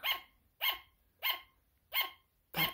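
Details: Sugar glider barking steadily: five crisp, high yapping barks at a very regular pace of about one every 0.6 seconds, each a brief bright bark with a quick fade, quiet between.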